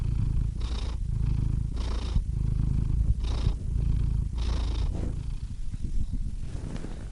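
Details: Low throbbing purr from a cat, four or five even breath cycles with faint airy intakes, the rumble thinning and growing irregular toward the end.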